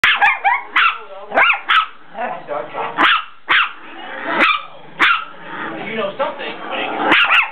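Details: Dogs attacking in play, giving repeated sharp barks and yelps with rising-falling tones, several bursts each second, mixed with snarling growls between them.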